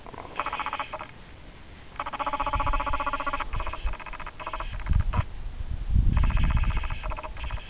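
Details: A rescued male Coonhound-Basset Hound mix bays in long, drawn-out, mournful howling notes, one after another.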